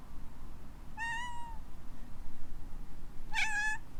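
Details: ['Hawaii rescue kitten Alana, a lively young female, meows in response to a sneeze. Two separate clear, tonal meows sound, the second louder and richer, roughly two seconds apart, in a quiet room.']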